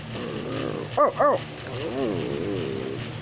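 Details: Pit bull terrier giving a pair of fast, clipped barks, followed by a person's wavering, sing-song 'oh oh' vocalising over a low indoor hum.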